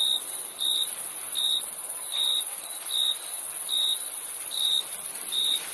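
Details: Crickets chirping: short bright pulses repeated a little more than once a second in a steady rhythm, over a continuous high-pitched insect hiss.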